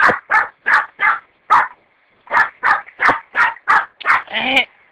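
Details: A dog barks sharply about eleven times in quick runs with one short pause, each bark mid-pitched and punchy. The last bark is drawn out into a higher, whinier yelp.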